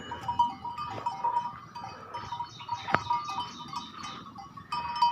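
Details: Several goats going back to a garden to graze after a long break; scattered short bleats and one sharp click-like burst mid-way, with continuous background tones and a man speaking.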